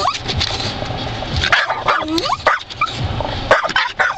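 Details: A dog excitedly lunges at swiping wiper blades, with quick high yaps, whimpers and harsh barks in irregular clusters, while a rubbery squeak and a low engine-like hum sit behind.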